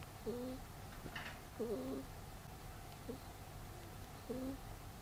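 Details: Pet rabbit snoring while asleep: short, soft nasal whistles, each with a faint upper tone, repeat at uneven intervals of about one to one and a half seconds over a low steady background hum.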